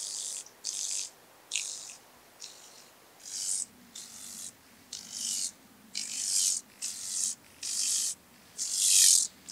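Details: Bryodemella tuberculata, the speckled buzzing grasshopper, in Vorderriss, Germany, 11 August 2022; a series of eleven short, dry, high-pitched rattling bursts at fairly even spacing, growing louder toward the end, with faint low hum beneath.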